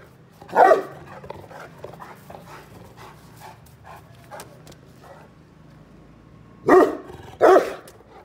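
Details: Saint Bernard on night guard duty around the premises in the dark. One deep, loud bark sounds early, followed by quieter huffs and soft noises, then two more heavy barks about a second apart near the end.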